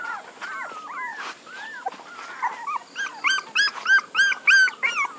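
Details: Several puppies whimpering and whining together: wavering, upslurred and downslurred squeaky cries, softer at first, then a run of louder, evenly spaced yelps in the last two seconds.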